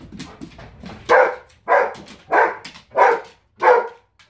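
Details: Female Giant Schnauzer indoors throwing a tantrum after being told to stay out of the kitchen: a run of five loud, harsh barks about two-thirds of a second apart, preceded by softer grumbling whines.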